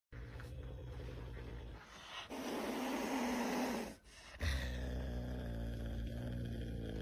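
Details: Caracal. A caracal gives a rough, breathy growl that swells and cuts off after under two seconds, a threat to keep rivals from its mate. A steady low engine-like hum runs underneath throughout.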